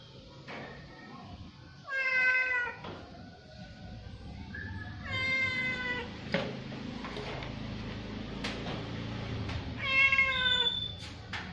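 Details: An orange cat fed at the pre-dawn sahur meal gives three loud, clear, harmonic meows about four seconds apart, each bending down in pitch, over a low steady hum and faint clatter.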